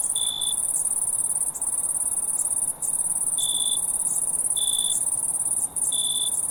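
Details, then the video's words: Crickets at night: a steady high shrill trill runs throughout, with a lower separate chirp breaking in at irregular intervals, roughly every second. "crickets in the night sound effect"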